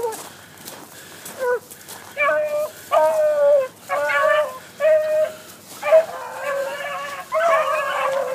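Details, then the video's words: Young hunting dogs running a cottontail rabbit give loud, ragged baying yelps in short bursts, each a tonal bark-howl with strong harmonics, coming in irregular runs about once a second with brief quiet gaps between. "Rabbit Hunting Dogs"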